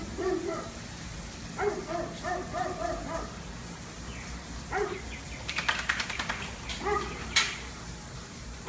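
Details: After four hours of trying to catch a squirrel, a dog lets out several short, wavering howl-like yelps in quick bursts, with crackling clicks and background hiss in between.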